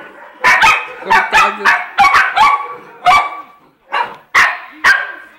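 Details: Two poodles, Jayme the bigger and Lendonn the smaller, described as husband and wife, bark steadily: around ten quick, ringing barks, some doubled, separated by short pauses, with a brief lull near the end.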